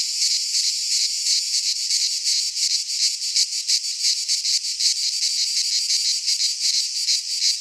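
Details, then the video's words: Midsummer cicada chorus in a pine forest in Greece, a dense high-pitched rasping drone with quick regular pulsing, nearly three beats per second, holding an even loudness with nothing else audible. "Cicadas singing in midsummer - Nature sounds from the Greek fauna - Sounds of cicadas"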